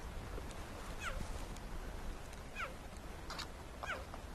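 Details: A male cheetah on the southern fence line of Rietspruit Game Reserve, South African Lowveld, calls constantly at sunset in windy weather. It gives high, bird-like falling chirps about every 1.5 seconds, searching for its brother after they scattered fleeing another predator.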